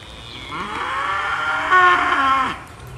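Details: Belted Galloway cattle, a rare breed called the Oreo cow, at Gwynnbrook Farm: a long, loud, harmonic-rich moo lasting about two seconds, rising then holding steady before falling away.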